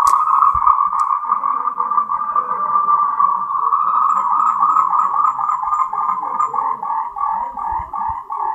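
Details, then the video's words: Moltrecht's green tree frogs (Rhacophorus moltrechti), endemic to Taiwan, give a dense, rapid chorus of pulsed, mid-pitched croaks as a mating call. "Tree frogs' mating call"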